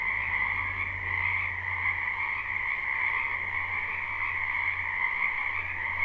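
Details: Many frogs croaking in a spring wetland behind a house, recorded live: a dense, unbroken chorus of buzzy trilling in two steady pitch bands, with a low hum that drops in and out underneath.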